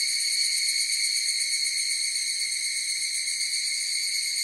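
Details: Chorus of higurashi cicadas: a steady, shimmering high-pitched drone of stacked tones with a fine, rapid pulsing throughout and no other clear sounds.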